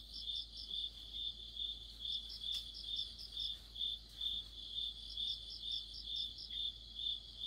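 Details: An autumn chorus of crickets with other insects. Shrill chirps pulse evenly at roughly two per second, layered over a faint continuous high hum, with no other sounds.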